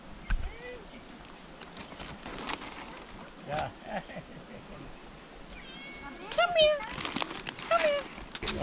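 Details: Hungry street cat in Adjuntas, Puerto Rico, being fed by travellers; human speech comes first, then clear rising-and-falling meows repeat about once a second toward the end, outdoors.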